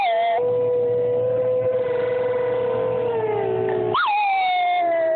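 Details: Cairn terrier named Poppy, a female pet, howls along with the noon siren: a long level howl that slowly sags lower, then a sharp upward yelp and a fresh descending wail, over a continuous siren drone.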